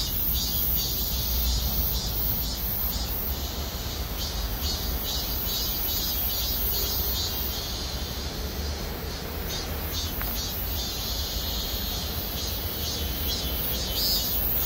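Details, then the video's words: Cicadas chorusing from trees in the parking lot at Gwangmyeong City Hall: a steady high buzzing drone that pulses faintly and never stops, laid over a constant low rumble of traffic. "맴맴맴 매미소리. 매미들의 합창"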